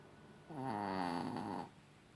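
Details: A single steady snore from the Chihuahua Rocky in the evening, a rough, humming buzz lasting just over a second that starts and stops abruptly.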